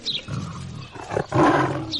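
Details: Tiger roar: a short, rough, low rumbling growl that swells, dips, then surges louder in a second burst, with faint music-like tones in the background.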